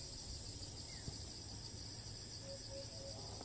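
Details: Cicada in Thailand that continues its call right after landing despite repeated flights, filmed at a distance. Steady high-pitched drone throughout, a single soft knock, and three short low notes toward the end.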